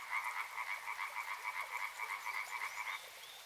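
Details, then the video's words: Rapid pulsed croaking of frogs by a river, two stacked tonal bands beating fast and steadily, the chorus cutting off about three seconds in and leaving faint high chirps over quiet background. "Frog Sounds"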